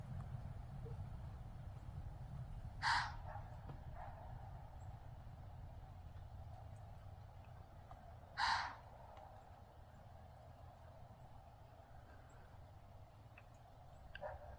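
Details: Deer, probably a doe, wheezing in thick fog at something seen in the treeline and at the person nearby; two sharp, breathy hissing blasts about five seconds apart over a low outdoor rumble and faint distant calls.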